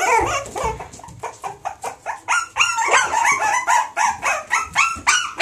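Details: Cross-bred pups of a Springer Spaniel mother and Jack Russell father yip in a steady run, about three to four sharp, bent-pitch cries each second, with a low thump near the start.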